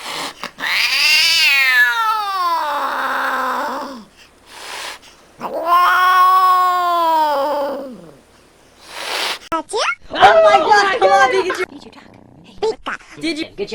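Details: A domestic cat gives two long, drawn-out meows, rising and then falling in pitch, the second steadier and lower, followed by a burst of rougher, noisy vocal sounds and a voice.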